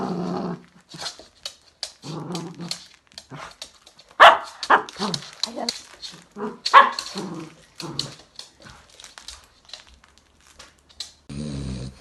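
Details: Louis Philipp, a tricolour Cavalier King Charles Spaniel kept as a family pet in Munich, Germany, gives a run of short, sharp, uneven barks and yaps, framed by drawn-out whiny vocal sounds at the start and end.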